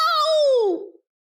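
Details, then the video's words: Pet cat talking back to her owner in a sassy argument, giving a single clear meow that holds steady and then bends down in pitch, fading out within a second. "Cat Can’t Stop Arguing with Her Human"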